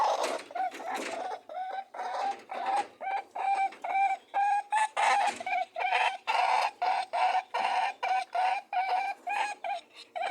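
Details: Mating rabbits giving a rhythmic series of short, nasal honking tones, about two to three per second, each with a steady buzzing hum and bright overtones, broken by a few scuffling noises.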